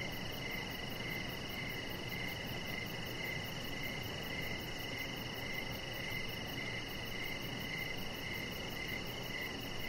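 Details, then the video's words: Cricket chorus at evening near a deck decorated with lights, a chihuahua puppy lying nearby; bright, high chirps pulse at a steady pace of nearly two each second against a faint constant whine and low noise. "with Cricket Sounds"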